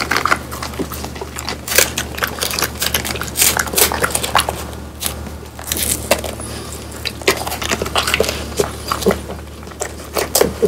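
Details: Crisp crunching of a French Bulldog, one of Pang, Kun and Ppo, biting into a dried whole quail with bones; quick, uneven snaps and crackles fall steadily through the stretch, some louder crushing bites standing out, over a faint low hum.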